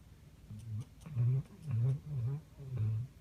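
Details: Redbone Coonhound named Pete asleep on a couch indoors, a loud snorer who sometimes runs and chases things in his sleep; low, rough snores come in about five short throaty bursts across three seconds.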